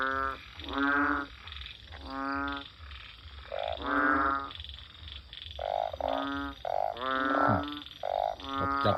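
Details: Banded bullfrogs by a house after a downpour at nightfall, calling until daybreak: loud, resonant, buzzy croaks in quick succession from several frogs, some shorter higher notes among them, over a soft continuous high-pitched insect hum.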